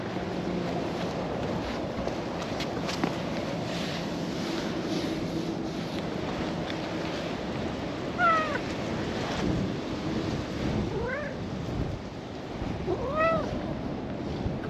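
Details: Brown-and-white cat in a park, leading a person to a bench and scratching its claws on their jeans; three short rising-falling meows near the end, spaced about two to three seconds apart, over steady outdoor background rush.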